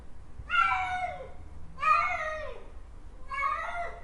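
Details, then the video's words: ['Cat giving three drawn-out, slightly harsh meows about one and a half seconds apart, each sliding downward at its end, over quiet indoor background hum.'] "Cat Miaow Sound Effect"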